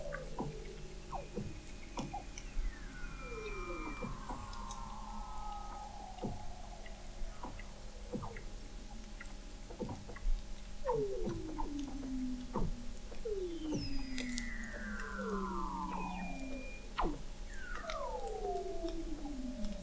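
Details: Weddell seals recorded in November 2017 under sea ice in McMurdo Sound, Antarctica, from an observatory 21 m down: regular clicks, repeated downward-curving whistles and long descending trills, with a brief high electronic tone partway through.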